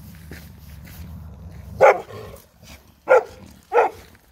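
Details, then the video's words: German Shepherd dog barking after being scared by another dog; low room rumble, then three sharp barks spaced about a second apart, with faint speech early on. "Random doggo scared my German Shepherd"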